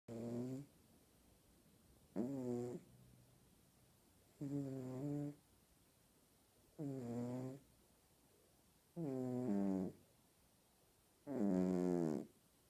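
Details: A pet cat snoring loudly indoors: six rough, buzzy, harmonic snores, each under a second long, coming about every two seconds and growing slightly louder toward the end, with quiet pauses between breaths.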